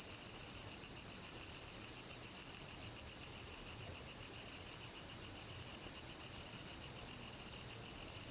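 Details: Cricket at night in the countryside, its song made with the wings: a continuous, shrill, very high-pitched trill with a fine rapid pulse and a steady level throughout, without other sounds.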